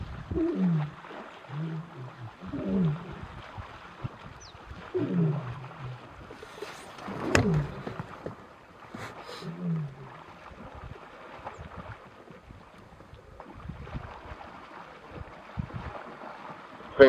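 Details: Lion (Panthera leo) roars: deep, moaning grunts rising and falling in repeated bursts from four or five Nkuhlu Coalition males chasing an unknown male across the Sabie River, Kruger National Park/Sabi Sand, in the morning.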